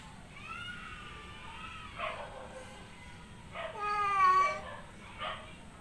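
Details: Domestic tomcat in heat calling to a female outside: a long, wavering meow at the start, then a louder drawn-out meow near the end, mixed with breathy rustling noises in a quiet room.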